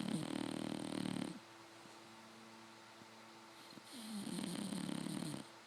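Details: Fannie, a five-month-old English Bulldog puppy asleep in bed with her eyes open, gives two loud, buzzing, vibrating snores at start and end, with a quiet whistling breath between them.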